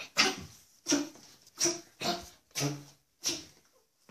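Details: Maja, a Yorkshire Terrier, excited to go out of the house, gives six short, breathy, soft barks spaced roughly every half second.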